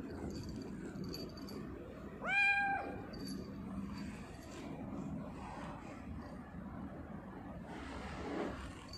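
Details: Pet tortoiseshell cat at home, shown drinking water, recorded 21 October 2019; one short clear harmonic meow, slightly falling, amid low household background noise.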